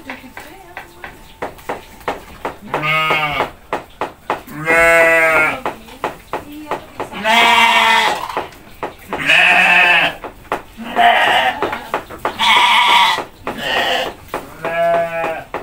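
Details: Goats being hand-fed in their pen call repeatedly: about eight loud, quavering, nasal bleats, each roughly a second long and several seconds apart, with sharp clicks and a faint steady tone between calls.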